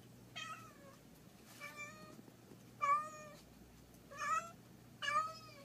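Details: Grey tabby domestic cat reacting to a dragonfly it finds weird, giving five drawn-out, falling meows spaced about a second apart, each with a clear harmonic tone, against quiet low background hum.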